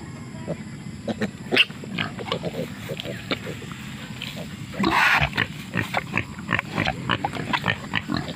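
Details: A wild boar mother with her curious babies sniffing around, grunting and snuffling in short, rough bursts, with a louder squeal-like burst midway; Wild boar.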